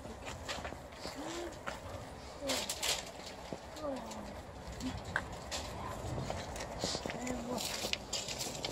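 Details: A female Alaskan Malamute "talks" in short, low, bending woo-woo sounds to greet a visiting aunt, whose arrival she knows means a treat.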